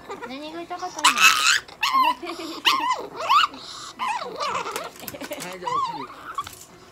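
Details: Chihuahua named Nana, aged 2 years 8 months, during a veterinary examination and treatment at a Nagoya animal clinic, with eye and ear drops, fluids and injections; short high whines and yelps rise and fall in pitch in bursts, with a low growl and people talking nearby.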